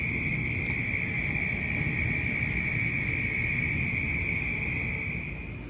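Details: Southern toads at night in suburban Orlando, Florida, during a mass breeding event, trill together in a dense breeding chorus that merges into one steady high-pitched drone.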